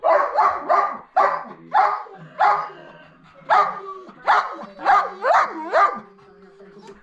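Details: Turbo, a Siberian Husky and Belgian Malinois mix sled dog, barks excitedly before pulling a kicksled on a road usually covered in snow, with a quick series of harsh, yelping barks, roughly two or three per second, with brief pauses between bursts.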